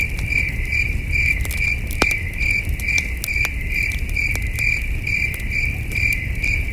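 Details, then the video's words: Night-time cricket chorus at a wilderness campsite: bright, evenly spaced chirps repeating roughly twice each second over soft crackling of a campfire and a low rumble of cool breeze. "Camping Under a Million Stars with Soothing Cricket Sounds"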